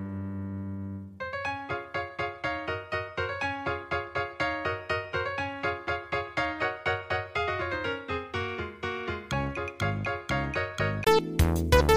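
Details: Lively piano music with steady, rapidly repeated chords and a rising run of bright high notes near the end; no animal voice is heard.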